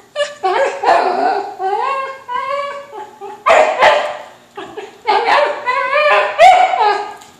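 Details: Whippet mix Kimchee playing indoors, eager for a balloon and wrestling with his brother Rocky; harmonic whining barks and yips in drawn-out bursts, rising and falling, with little human talk.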